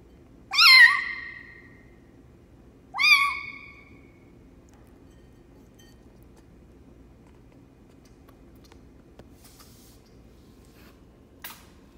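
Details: Foster kitten Lucy, the runt of her litter and raised by hand for a shelter, cries twice in high, piercing meows two seconds apart, then falls quiet apart from faint clicks and a rustle indoors.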